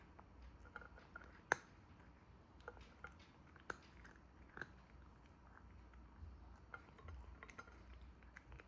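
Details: Cat eating, heard as sharp crunchy bites and soft chewing clicks scattered irregularly through a quiet indoor space, with a few louder snaps standing out above a low steady background hum.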